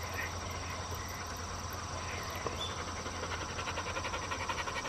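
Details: Black four-year-old female field-type Labrador Retriever on a walk, kept on a flexi lead, panting in quick steady breaths of nearly three per second under a constant low hum and hiss.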